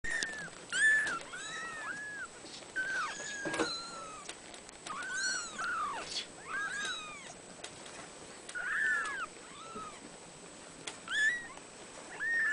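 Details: Abyssinian kitten mewing over and over, with high, arched, slightly downslurred meows coming in quick, uneven bursts, some overlapping, with brief quiet gaps between them.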